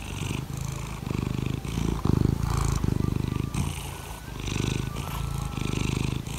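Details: A loud, close purr from Laimi the cat, seeking petting in the morning: a coarse pulsing rumble broken into inhale and exhale phrases, with a louder swell partway through.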